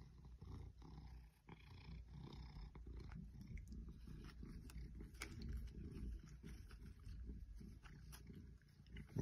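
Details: An 8-year-old female Maine Coon cat, being petted and nuzzling fake plants, purrs in a steady, low, throbbing rumble, with soft rustling and clicks.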